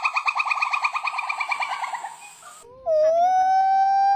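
A monkey gives a fast run of harsh, pulsing chatters, followed by a long, steady, rising wail.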